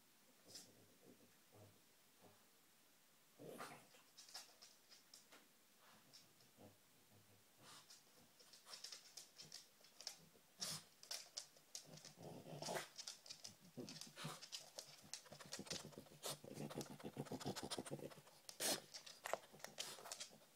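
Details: A female dog hunts for treats, sniffing busily. The puffs start sparse and quiet, then grow dense and rapid, turning into long runs of sharp snuffling bursts with light scraping and patter in the second half.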